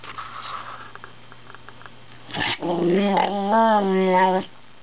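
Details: Wire Fox Terrier, a male dog, practising his 'speaking': after a quiet stretch and a brief scuffing noise, he gives a rising string of tonal, warbling yowls and grumbles lasting about two seconds, then stops abruptly.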